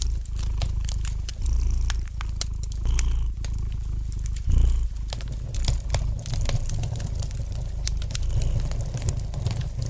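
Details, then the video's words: Domestic cat purring gently beside a fireplace, a steady low rumble swelling and easing through the clip, with light crackling fire pops scattered over it. "Relax to the gentle purring of the cat and the light crackling of the fire in the fireplace!"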